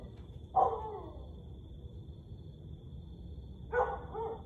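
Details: A Siberian Husky gives two brief, falling, tonal howls a few seconds apart over a steady high hum, at 1:49 am on May 30, 2021.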